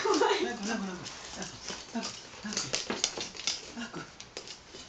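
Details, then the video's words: Labrador Retriever named Ralph protesting a big pan he hates, indoors: a run of uneven, rough grumbling and whining bursts at a rapid, irregular pace, with human voices talking over him. "Labrador Ralph hates big pan"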